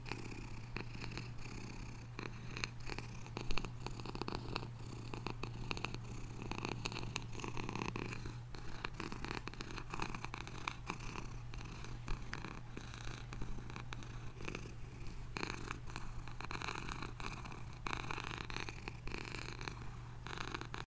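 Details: Pet cat keeps up a long, even purr, a low vibrating drone with rhythmic in-and-out breath pulses throughout, one brief louder bump early on, otherwise undisturbed.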